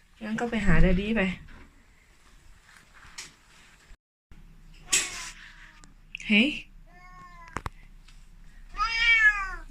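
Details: Elderly Korat cat, 14 years old, born and raised in Thailand and now living in England, kept as an indoor-outdoor cat on a cold morning; one drawn-out, wavering meow near the start, then soft human talk, a clatter and brief further vocal sounds.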